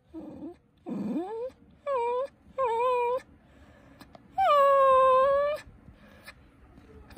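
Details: Cookie, a pet poodle puppy, whining to get attention: a string of high, tonal whimpers, some sliding upward, others held steady, separated by short pauses, ending with one long drawn-out whine followed by quieter background.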